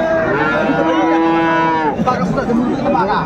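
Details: Cattle at Raniganj market, Dinajpur, Bangladesh, where Friesian and crossbred bull calves are bought and sold; one sustained, level moo of about two seconds with strong harmonics, then a brief falling tail as crowd chatter continues.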